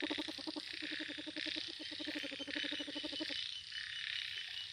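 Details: Frog by lotus flowers giving a rapid, evenly pulsed rattling croak lasting about three seconds before stopping, with a constant high insect-like hiss behind.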